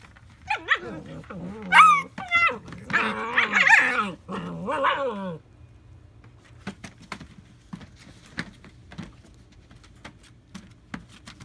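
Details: A litter of AKC German Shepherd puppies in North Central Florida, July 2017, erupts in a dense burst of squealing yelps, whines and small growls for about five seconds, then falls to faint ticks and rustling.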